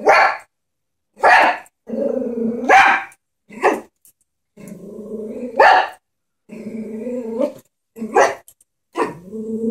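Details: Frightened Chihuahua confronting a stuffed animal horse, alternating sharp high barks with sustained nasal growls, a bark roughly every one to two seconds throughout.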